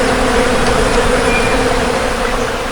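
A bee's steady, low droning buzz, unbroken and even in pitch throughout.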